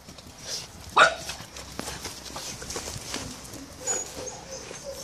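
An Akita puppy gives one sharp, high yelp, followed by quiet background shuffling.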